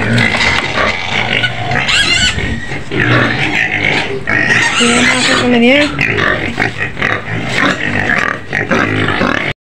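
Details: Shrill, drawn-out squealing from a white pig in its pen at the edge of Medan, harsh noisy cries with some sliding tones, people talking over and between the screams.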